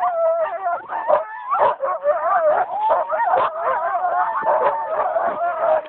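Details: Team of husky dogs on a winter dog ride in Geilo, Norway, 25 January 2012, whining and howling in a dense chorus: many wavering, sliding cries overlap continuously with yelps mixed in, and no break throughout.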